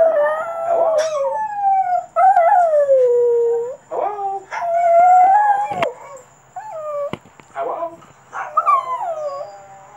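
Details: First-time howling from a Cavalier Spaniel / Papillon mix: drawn-out descending howls of one to two seconds each, interrupted by sharp clicks and brief gaps, with quieter whines near the end.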